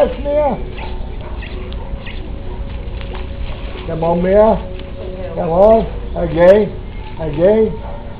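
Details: Boxer puppies at play give short, rising-then-falling, whining howls with strong harmonics, several spaced about a second apart in the second half, over a faint steady background hum.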